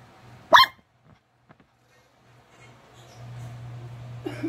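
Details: White-furred Maltese-Shih Tzu mix dog giving a single sharp, short bark, followed by quiet with a steady low hum and a faint rustle near the end.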